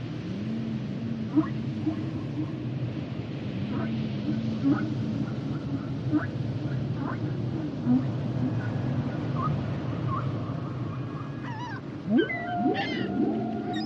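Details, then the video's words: Humpback whale song with low, wavering moans repeated in phrases, scattered brief clicks, then sharper sweeping cries and upward glides near the end, all over a continuous underwater rumble. "Sounds and Songs Of The Humpback Whales"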